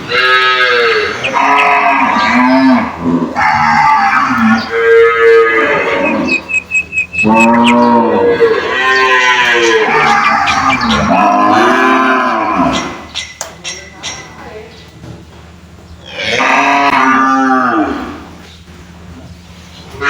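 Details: Caged cows moo loudly in answer to one another, with dense overlapping lowing calls that swell and fade for about twelve seconds, then two separate moos after a short quieter pause.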